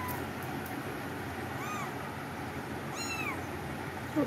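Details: A cat gives two short, arching high meows about a second and a half apart, each rising then falling, over a steady low background hum.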